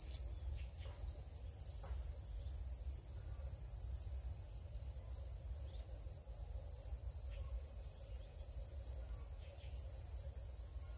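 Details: High, pulsing cricket chirps repeat quickly and evenly throughout, with a few faint ticks and a continuous deep rumble underneath.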